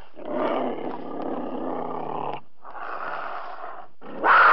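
A cougar gives two long, harsh, rasping growls, each over a second, then breaks into a louder, sharper snarl at the end.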